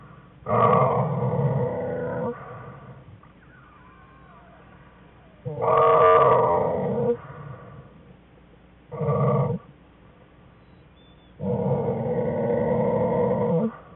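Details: American black bear cubs whining inside a winter den on January 5, 2013, beside their sleeping mother; four drawn-out, nasal whining bursts of one to two seconds each, rich in stacked harmonics, separated by quiet den hiss.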